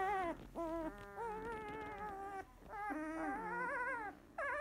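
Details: Sixteen-day-old field-line Labrador Retriever puppy, newly open-eyed, resting after nursing, gives loud drawn-out whining squeals, tonal and wavering, several long cries linked by brief breaks, with a sharp rising squeak at the end.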